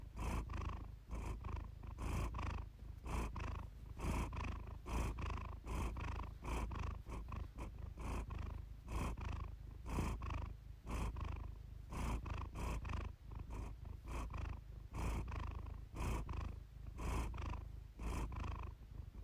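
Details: Low, rumbling purr from Iris the house cat, recorded for relaxation; a throbbing drone punctuated by regular breath-driven surges about once a second, with no other sounds.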